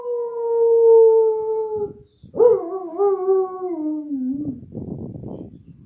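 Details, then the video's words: Female Samoyed dog howling along to a recording of her own howl. A long steady tone slides slowly downward, breaks off, then a new howl jumps up, wavers and falls, ending in rough, breathy yips. "Samoyed dog howling to a video of herself howling"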